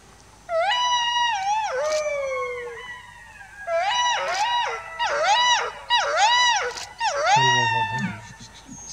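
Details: Jackal and its mate in the meadows of Kanha Tiger Reserve, Madhya Pradesh, India: wavering wailing howls, rising then bending down, several in quick succession with rich overtones, ending in short yelping notes.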